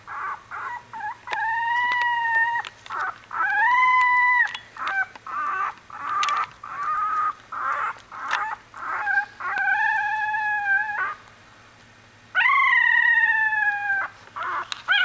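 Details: Australian Bulldog puppies from a litter just one week old cry out in drawn, harmonic whines. Some are level, some rise and fall. Sustained wails alternate with brief pauses and choppier squeals.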